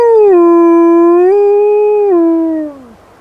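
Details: Black wolfdog howling during an urban blizzard: one long, clear, tonal howl holding steady, stepping slightly higher midway, then sliding down and fading after about three seconds.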